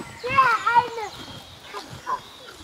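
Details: Red deer fawn being suckled gives a thin, high, nasal bleat rich in overtones, wavering and bending in pitch for about a second; a few softer, scattered sounds follow in the quiet background.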